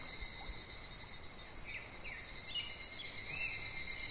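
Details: Midsummer cicada chorus in July beside a shallow clear stream, a continuous high-pitched shrilling hum, with several short rising chirps from a bird in the middle and little water noise.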